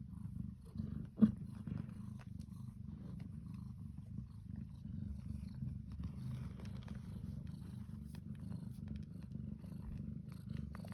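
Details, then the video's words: A mother Devon Rex cat purrs steadily, a low, continuous rumbling vibration with a soft, pulsing texture, while nursing her two kittens as they fight over food. "Devon Rex cat purrs"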